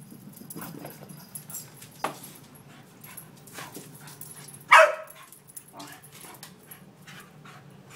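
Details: Scout, an Australian Cattle Dog cross with Red Heeler, Alaskan Malamute and Schipperke in her, romps with Sami inside a house; a single sharp loud bark stands out midway over low background rumble and soft voices.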